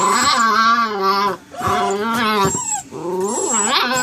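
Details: Faith, a Saint Dane puppy, gives strange drawn-out vocal moans: sustained harmonic whines with wobbling, yodel-like pitch, broken by two brief pauses, ending in a bending, rising-and-falling cry.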